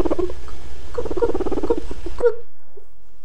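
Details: A guinea pig makes soft, rapid chuffing and squeaky notes, its exploring sound, showing curiosity while it investigates a place or thing that seems new to it.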